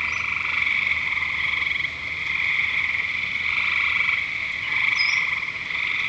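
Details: Dense frog chorus at Lake Curcio, many animals trilling together in an unbroken high buzz, with pulsed croaking rising and falling in waves and short chirps scattered through.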